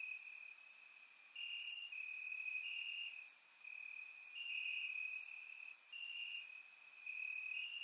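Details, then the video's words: Crickets chirping in grass on a warm summer night in Bulgaria, recorded with a surround microphone: steady high trilling bands, with several callers overlapping in pulsed stretches and sharp clicky bursts above. "Cricket Sounds - Crickets Chirping at Night"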